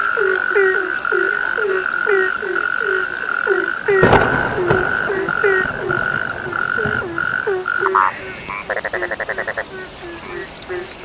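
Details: Chorus of frogs at night: steady repeated short croaks about twice per second over a droning trill, a sharp knock partway, then a fast rattling pulsed call near the end.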